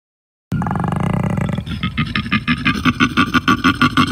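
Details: Koala (Phascolarctos cinereus) bellow: a long, deep, rasping droning snore followed by rhythmic, belching grunts.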